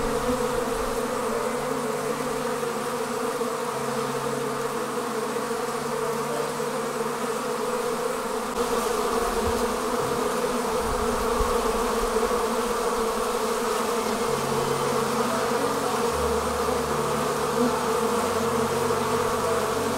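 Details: Honey bees departing their hive and forming a swarm: a dense, steady buzzing hum from many wings, with layered low drones and a continuous hiss above, unchanging over twenty seconds.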